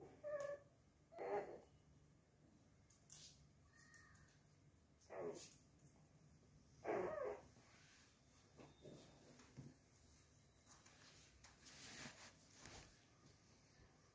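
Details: Mr Pixel, a male Chihuahua puppy, playing on his own. Short, sharp yelps and squeaky bursts come in irregular clusters about every two seconds, with one brief tonal whine at the start, in a quiet room.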